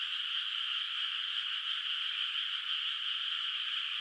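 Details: Frogs calling in the distance across a still, moonlit rice field at night in the countryside before rice planting; a smooth, continuous chorus holding steady throughout, free of other sounds.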